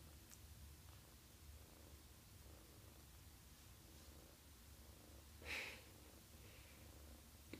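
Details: Sleepy female foster kitten purring while her belly is rubbed, holding up all four paws: a soft, steady low rumble running throughout, with one brief brighter rustle partway through.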